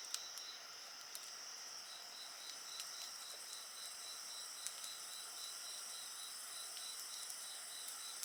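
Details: Chorus of insects: a shrill, unbroken high tone layered with a rapid, evenly pulsed chirping trill, accompanied by occasional light crackles from a nearby bonfire.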